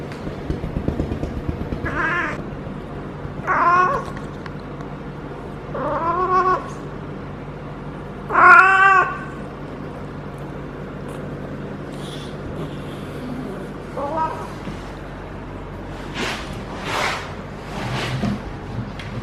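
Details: Feral female cat in her first heat cycle, caterwauling while being petted on the lower back and tail base: drawn-out wavering yowls every two to three seconds, rising then falling, followed by softer rustling and handling noises.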